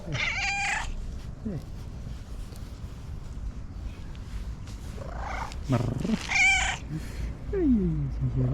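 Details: Fluffy female tabby cat, joining people late, meowing excitedly and asking for love and food in a trilling voice: loud harmonic meows near the start and after six seconds, shorter rising calls between, with a person calling hey.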